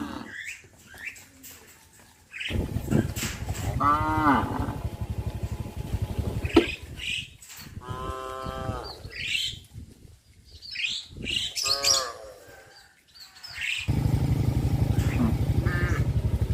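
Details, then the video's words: Cattle in a herd walking to graze through a settlement: three separate harmonic moos, each about a second long, between passages of low throbbing engine-like rumble and scattered sharp higher noises. "A herd of cows walks to graze in the settlement|Livestock|Sound of Cows"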